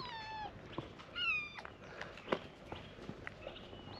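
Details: Starving stray kittens, abandoned and waiting each morning for food, let out two or three thin, high meows that slide downward, with soft clicks and rustling between them.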